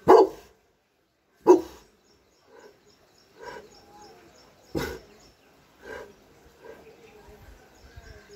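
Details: Very aggressive barking from Whiskey, a giant wrinkle-faced Dogue de Bordeaux (French Mastiff): heavy, booming barks at uneven intervals, two loud ones close together at the start, then softer, gruffer barks, with faint chirping behind.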